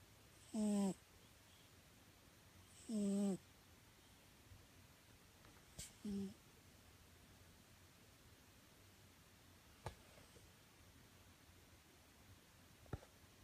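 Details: Pet cat sound asleep indoors, snoring. Three short, buzzy, droning snores come at irregular gaps of two to three seconds. Between them the room is quiet apart from a few faint clicks.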